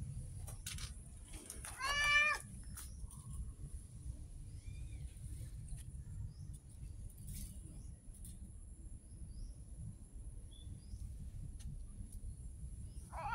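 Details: Stray street cat letting out one short, loud meow near the start, with another beginning at the very end, over low background rumble and faint scattered clicks.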